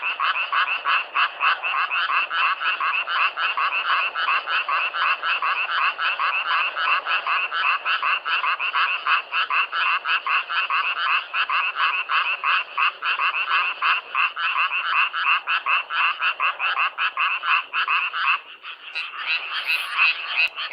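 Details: Frogs croaking in a dense, unbroken chorus of rapid rattling pulses. The pitch is mid to high and the sound stays steady for about eighteen seconds. It dips briefly, then swells back. No other sounds are clear.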